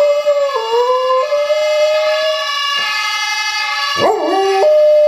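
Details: Domestic dog howling in response to a siren sound played from a phone. A long, wavering, mid-pitched howl with a rich harmonic tone blends with the steady siren tone. A sharp dip and rise in pitch comes near the end.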